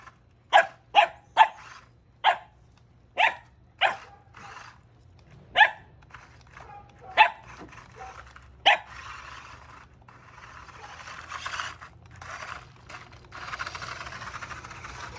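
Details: A corgi barks in sharp, high bursts, several a second apart, at a 1/14 scale RC car, before the car's whirring mechanical noise takes over.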